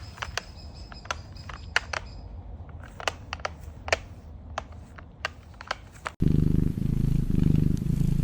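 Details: A pet serval growling while taking a mop: sharp knocks and clicks, then a deep, rumbling growl.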